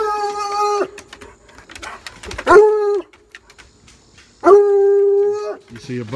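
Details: Bluetick Coonhound baying at a rabbit in a backyard; long drawn-out level bays, three in six seconds, each lasting about a second, with a brief human voice at the end.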